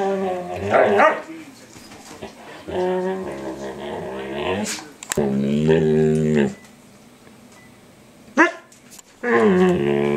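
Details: Eight-month-old standard poodle Micah voices odd noises as he nibbles the face and ears of an older poodle during their everyday ritual in an office; wavering harmonic whines and groans come in long bouts, with quiet gaps and a brief yelp.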